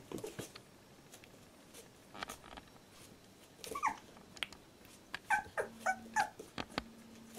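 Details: Fourteen-day-old Labrador Retriever puppy from a litter, giving faint, short, high squeaky whimpers, a few early and then a quick run of about six near the end, amid soft rustling and handling clicks.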